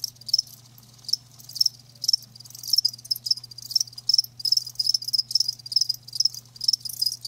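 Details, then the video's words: Live crickets chirping in a dense, high-pitched pulsing chorus, bursts of rapid trills repeating irregularly several times a second, with a steady low hum underneath. "Live Crickets 60min "Natural Sound""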